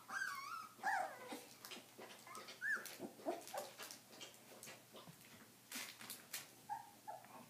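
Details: Stabyhoun puppies at 22 days; faint high squeaks and brief whimpers scattered over soft rustling and clicking noises, quiet overall.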